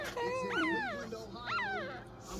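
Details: Maltese dog, a mother with her first litter: high, harmonic whimpering whines that rise and fall, two main cries about a second apart, over a faint low hum.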